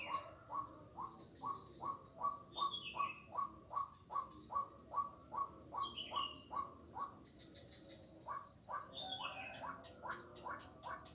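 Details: Frog recorded 4 November 2021 in Kuala Kapuas, Central Kalimantan, along Jalan Kolonel Sugiono, giving a long regular train of brief upswept clucks, nearly three per second, then breaking into scattered notes while thin falling whistles sound higher up.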